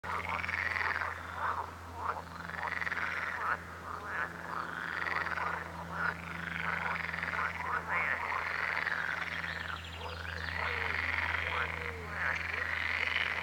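A dense chorus of frogs croaking, with overlapping rasping calls that rise and fall in waves.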